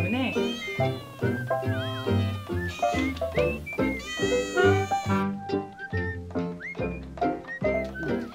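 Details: Year-old white kitten, left alone at a house by her mother, meowing nonstop as if asking the family to open the door and let her inside; repeated rising, wavering meows over background music and a woman's voice.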